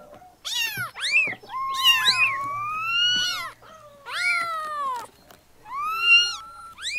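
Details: Several newborn kittens meow in overlapping cries, arched and falling mews mixed with a longer steady wail, almost continuous calling with brief gaps.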